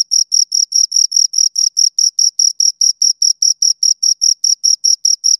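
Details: Two crickets heard right up close, trilling in sharp regular bursts, about four high-pitched chirps each second, clean and loud with nothing else audible.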